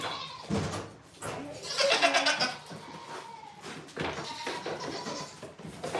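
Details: Goats on a farm, filmed live, giving short wavering bleats that rise and fall over a few seconds amid a busy, noisy barn background.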